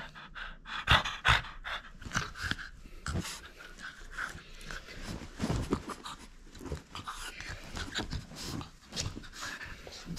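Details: French Bulldog playing indoors and keeping its toy: steady rapid panting and snuffling breaths for ten seconds, louder huffs near the start, faint voices in the room.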